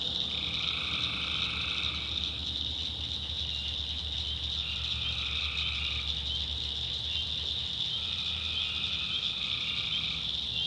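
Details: Night swamp chorus of tree frogs in the backwoods of North Carolina. A constant shrill drone runs throughout, with lower two-toned trills lasting one to two seconds entering about every four seconds.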